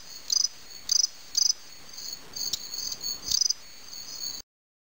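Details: Fall field crickets, Gryllus pennsylvanicus, during a fight give bright, high-pitched pulsed chirps, three in the first second and a half, a pause with faint trills, then one more chirp before it ends.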